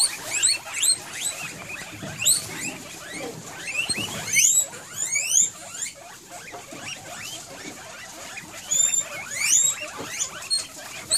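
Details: Several excited guinea pigs at what may be dinner time give loud, high whistled wheeks. The calls sweep sharply upward, often doubled, and come in bursts over soft rustling and patter.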